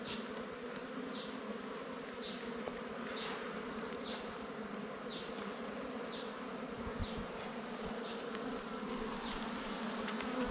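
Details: Wild bees humming steadily around their nest during honey hunt season, an unbroken low buzz with a falling high chirp repeated about once a second throughout.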